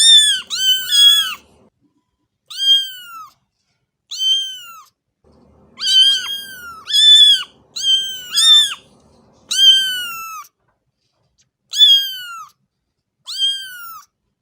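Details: House cat giving loud, harmonic meows, some in quick bursts of two or three, others single and drawn out, with faint low rustling beneath the early calls and brief silent gaps.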